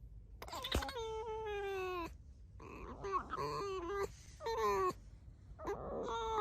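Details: Squeaks from Alice the domestic fox: a long, steady whine slowly sliding downward, then a run of shorter wavering squeals with brief breaks, each bright and rich in overtones.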